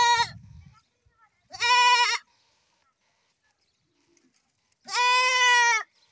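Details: Goat giving loud, clear, wavering bleats, three cries of increasing length with a strong nasal tone, separated by near silence.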